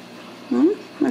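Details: Young Ragdoll kitten from a home cattery in central Kansas, playful and clumsy, gives a low, brief squeaky mew that bends upward, then a second short chirp, indoors.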